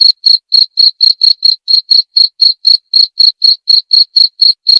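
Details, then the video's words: A single cricket's high, ringing chirps repeat about four times a second in a regular pulse, every note equally loud, over an otherwise silent background. "Suara Jangkrik"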